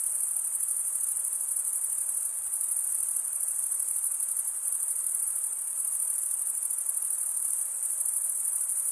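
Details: Summer night in the forest, many crickets chirping together as one continuous shrill, high buzzing band with a faint pulsing texture and steady loudness, nothing else audible.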